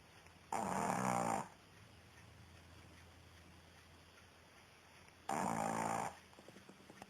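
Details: Female Pekingese dog asleep, giving two loud, rasping snore-like breaths, each under a second long and roughly four and a half seconds apart, with quiet background between them.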